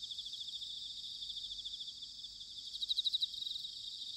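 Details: Bell crickets singing in autumn, recorded in Sanuki, Chiba, Japan, with a ZOOM H6 or TASCAM DR-05X: a dense high ringing chorus of overlapping pulsed trills, one louder nearby insect pulsing briefly near the end.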